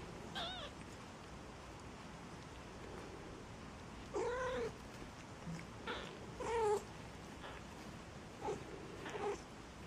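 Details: Maine Coon kittens at a cattery in Saint Petersburg, Russia, calling in repeated high, quavering mews spaced a second or two apart, some with a wobbling pitch, after a quiet opening, with faint household background.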